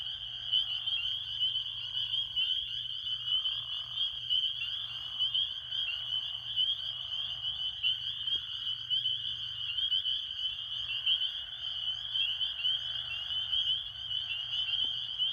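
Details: At night, lots of spring peepers at Beaver Pond, Bear Brook State Park, New Hampshire, form a dense chorus of high, piercing peeps merging into steady shrill ringing. Bullfrogs possibly also present.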